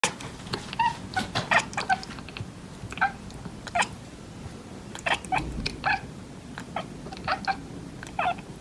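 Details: A domestic cat chirps and chatters in rapid, clipped clicks and squeaky chirps, loosely bunched in runs of several notes over a low indoor rumble.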